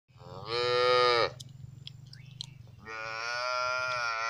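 A lamb gives two drawn-out, rich bleats separated by a short pause, over a low background hum.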